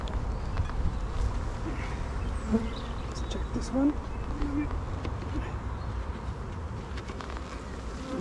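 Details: Honey bees humming in an opened hive during a beekeeper's inspection in an apiary, as new frames are being drawn out; a steady low drone with a few faint brief chirps over it.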